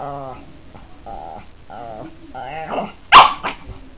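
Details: A Pekingese, angrily confronting a cat in harmless play-fighting, gives a sharp, harsh bark after several drawn-out, whining or voice-like sounds.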